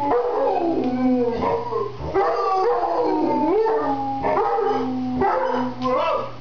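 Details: Mastiff howling along with a man seated in a chair: long, wavering, drawn-out tones that rise and fall, voices overlapping in a continuous duet with a low steady hum beneath.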